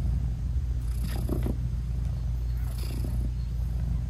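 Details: A British Shorthair mother cat nursing her newborn kittens, whose eyes are still closed, purrs in a deep, continuous rumble. Two brief, soft chirrups rise over the purr about a second and a half apart.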